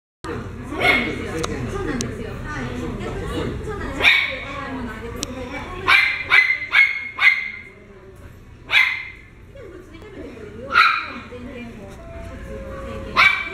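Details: Pomeranian dog barking in short, sharp yaps, singly and in quick bursts of two or three, spread through the recording, with a person talking between the barks.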